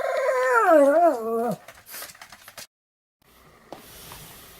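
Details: Pomeranian in a rough-and-tumble play fight, letting out a wavering, wailing whine that dips and rises for a second and a half, followed by scuffling noises, a pause, and faint rustling.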